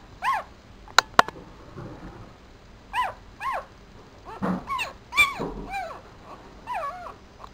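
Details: Four-day-old Papillon puppy, a male, sitting in a black dress shoe, gives short arched squeaks in scattered bursts, each rising then falling, with a couple of sharp clicks near the start and quiet room background.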